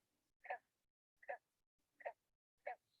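A green frog gives short, twangy gulps like a plucked loose banjo string, spaced under a second apart.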